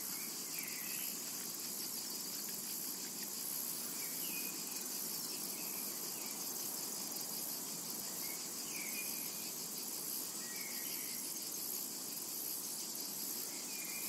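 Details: Cicadas in a summer meadow: a steady, dense, high-pitched hiss-like drone runs unbroken throughout, with faint short chirps from birds scattered in the background.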